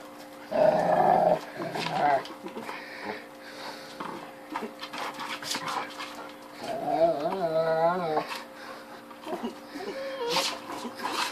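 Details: Female Rottweiler Zena cries in frustration while trying to bite into a 10-inch Unbreakoball wiffle ball she cannot destroy, filmed 9-7-12 on a Samsung Galaxy S3; a loud opening burst, then a wavering, high whine, with human voices throughout.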